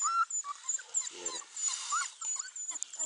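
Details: Beauceron puppies, four weeks old, whine in a kennel: short, thin, wavering cries scattered irregularly amid rustling and background noise.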